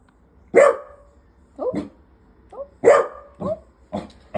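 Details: Pet dog barking on hearing other barking from the other side, wanting to go downstairs: two loud, sharp barks about two seconds apart, with shorter, softer yelps and whines in between.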